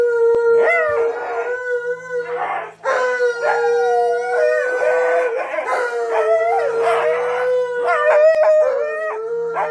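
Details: A female rescue Siberian husky, confused on hearing her owner's voice in a video, howls in long, wavering tones that slide up and down, with brief breaks between.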